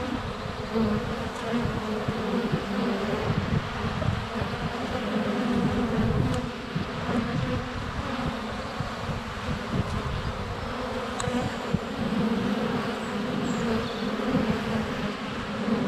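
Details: Honey bees constantly circling a GoPro placed under a foot from their hive entrance on a sunny February day; continuous layered buzzing with clicks of bees landing on the camera and a faint bird note around the middle.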